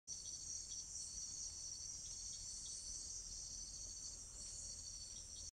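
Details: Painted grasshopper in Brazil: a steady, high-pitched hissing buzz runs unbroken through the whole clip, with faint pulsing swells about every second.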